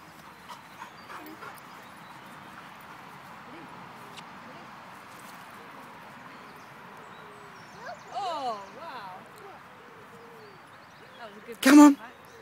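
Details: Dogs playing catch with a flying squirrel: a wavering, whining whimper rises and falls around the eighth second, then one loud, sharp bark bursts out near the end over quiet background noise.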